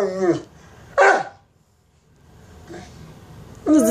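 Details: Mastiff begging for bacon: short whining yelps separated by quiet gaps, a faint sound near the middle and a final rising whimper at the end.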